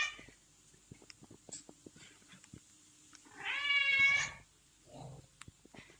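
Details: A hungry domestic cat gives one loud, drawn-out meow of under a second, rising and then falling, against scattered clicks and light household noise, with a softer short sound shortly after.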